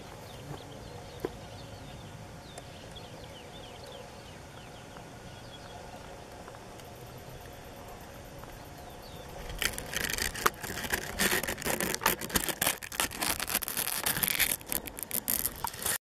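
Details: A Lesvos bush cricket (Poecilimon mytelensis), endemic to Lesbos, at Aghios Ioannis on 4 May 2014, gives bursts of dry, high-pitched ticks and crackles after a quiet start.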